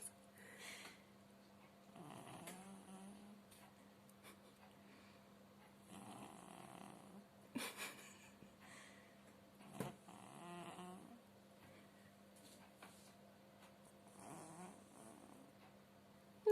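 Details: Pet cat named Pushok, who cannot purr, snoring in his sleep inside a room; soft raspy snores return roughly every four seconds above a steady low electrical hum, ending with a sharp knock.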